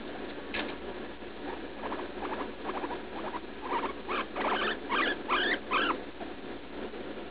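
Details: Female guinea pig Leslie, around three years old, squeals while defecating painfully despite antibiotics and an x-ray ruling out bladder stones. Soft chattering squeaks build into a series of louder, bright, upward-sweeping squeals repeated about every half second.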